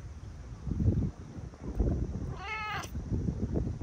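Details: After rain, a large fluffy cat with a big head walks up meowing before being petted; one clear harmonic meow, rising then dropping, lasting about half a second, amid heavy low rumbling wind and handling noise.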